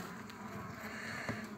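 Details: Continuous hum of many honey bees on a frame with a queen during the forming of a new colony; the drone stays even and broad, with a brief louder knock near the end.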